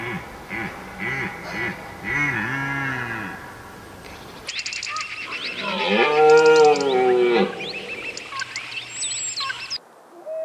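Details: Red deer roars, with Siberian maral and European red deer compared, from Lake Teletskoye in the Altai Reserve and Belarus's Berezinsky Reserve: a few low arched calls, then an abrupt switch to one loud, long, rising and falling harmonic bellow.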